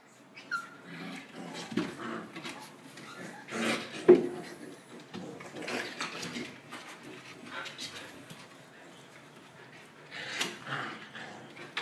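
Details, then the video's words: Puppies socialising together; short whimpering and yelping sounds come in scattered bursts, the loudest near the four-second mark and again around ten seconds, with softer rustling in between. "Puppies giao lưu"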